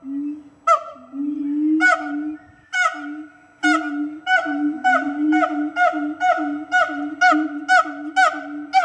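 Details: Captive siamang gibbons at Fota Wildlife Park announcing their presence to the park and surrounding area; loud hooting notes with a steady tonal base, starting spaced about a second apart, then quickening into a regular pulsing series.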